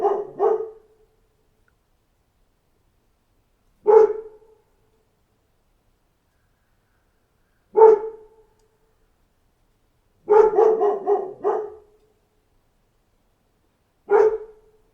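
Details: A dog barks intermittently in total quiet: a double bark, single barks roughly every four seconds, and a quick burst of about five barks.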